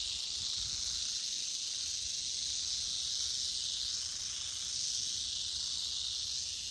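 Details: A large Western Diamondback Rattlesnake rattles in a steady, unbroken high hiss-like buzz that holds at an even loudness throughout, with no other clear sounds.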